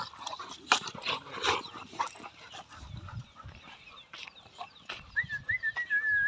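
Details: Dogs fighting, one Rottweiler against four others: a run of harsh, broadband bark bursts and snarls, loudest early on, followed by quieter scuffling and a wavering whistle-like tone near the end.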